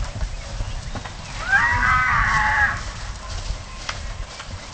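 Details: Wild Konik horses fighting on Dutch wetlands in the Oostvaardersplassen reserve: one shrill, harmonic squeal lasting just over a second, rising at the start, over steady low wind-like rumble.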